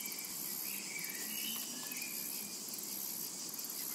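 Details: Short stretch of summer meadow sound: a bright, hissing cicada chorus with a fast flickering pulse, overlaid with a few chirping bird notes.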